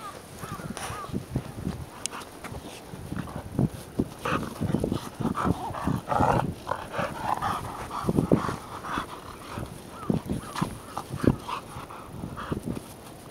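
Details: Two American Pit Bull Terrier siblings, a brother and sister, playing together; dense bursts of low growling and snorting sounds throughout, with a person's laughing voice at the start.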